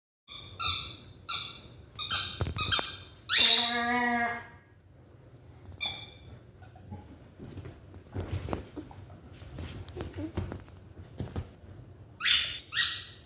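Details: A Vizsla making noise with a run of short, high squeaky yelps, then a longer groaning howl near the middle, followed by quieter scattered sounds and two more high squeals at the end.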